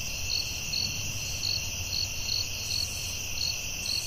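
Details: At night in the forest, crickets give clear pulsed chirps about twice a second over a steady shrill background trill and a low hum.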